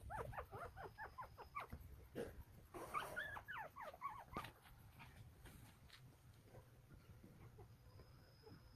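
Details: Newborn Golden Retriever puppies, one day old, from a litter of nine in Nampyeong, Naju, Korea, give rapid high squeaky whimpers and squeals in quick bursts over the first four seconds, then fainter scattered squeaks over a low background rumble.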